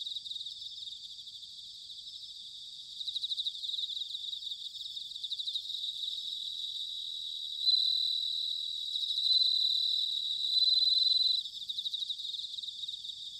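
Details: Bell crickets in autumn at Sanuki in Chiba, Japan, sing high pulsed trills at first, then a louder run of sustained bell-like ringing notes around the middle before the pulsing returns, all above a steady insect chorus.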